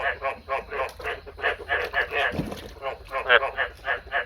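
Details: A male frog, bred by the owner the night before, calls in a fast, steady series of brief, throaty croaking pulses, about four each second, over a low background rumble.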